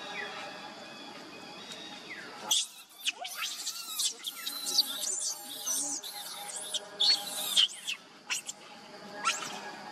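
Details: Baby monkey named Leo, hungry and crying to beg its mother for milk; after a quiet start, shrill, high screeching cries come in rapid bursts, some rising and falling, over a steady low background hum.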